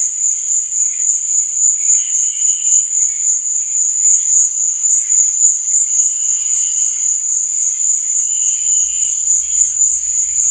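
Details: Crickets at night: a steady, high, shimmering trill runs without pause, with fainter warbling tones drifting in lower at times and a soft low rumble near the end.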